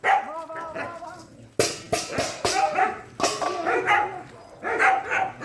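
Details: Night feeding at a shelter: wavering yelps open, followed by a sudden burst of loud barking from several dogs, with noisy clatter mixed in.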